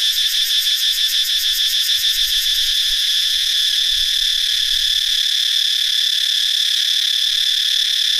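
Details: Dry-season cicada chorus in a northeastern Thailand forest after many insects hatched: a dense shrill buzzing drone, rapidly pulsing during the first few seconds, then a smooth continuous sizzle, with faint low thumps beneath.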